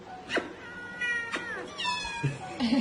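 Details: Domestic cat meowing in a short run of calls: a brief sharp meow, then longer tonal meows with clear harmonics, the last one drawn out and falling, with faint music and a little speech in the background.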